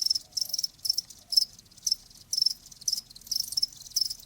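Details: Cricket song used as a calming sound for tinnitus, with clear trilled chirps about every half second, high and metallic, over a faint background chorus.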